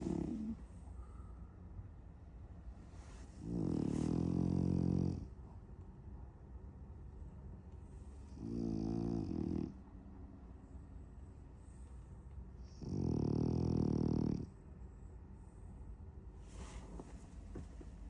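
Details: A sleeping French Bulldog, said to be dreaming of chasing cats, snores in deep, rumbling bursts, each over a second long, with quiet pauses between.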